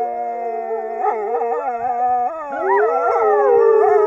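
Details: Several Norwegian wolves howl in overlapping voices, tones bending up and dropping back in quick wavering swoops, one clear high howl sliding down steadily toward the end.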